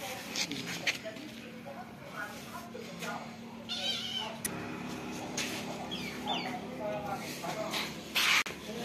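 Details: Domestic cat with kittens: several short, rising and falling meows, some high-pitched, scattered across the recording, with people talking throughout and light household noise in the background.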